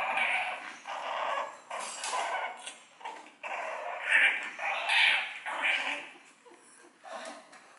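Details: Two-month-old French Bulldog puppy giving high, thin whimpers and short yips in repeated bursts about a second long, some louder squeals midway, with a person talking softly in the background.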